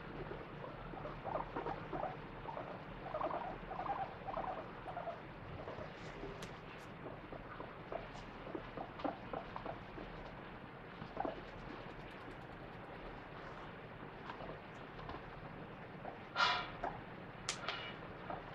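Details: A guinea pig makes soft, short chirping squeaks and low rolling chutters while getting attention from its owner. The owner notes this sound is said to mean happiness.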